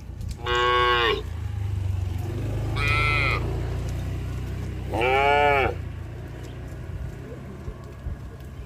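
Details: Tame cattle on the move along a mining road to a green village: three bright, arching moos spaced about two seconds apart, over a continuous low mechanical hum.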